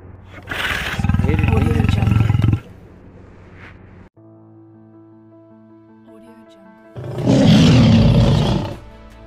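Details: Two deep, rumbling lion roars, each about two seconds long, separated by a stretch of soft, sustained musical tones; background music plays throughout.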